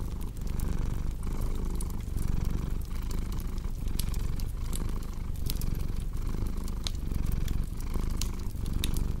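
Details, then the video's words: Continuous deep purr from a cat beside a crackling fireplace, meant for sleep and relaxation; a low rumble pulses in regular breathing cycles under frequent bright snaps and clicks of the fire. "Purring Cat with Cozy Crackling Fireplace Sound"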